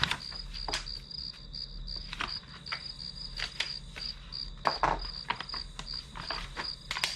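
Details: Grass insects chirping as one-hour study background noise: rapid high pulsed chirps over a steady shrill ringing tone, broken often by sharp broadband clicks and taps from nearby desk activity.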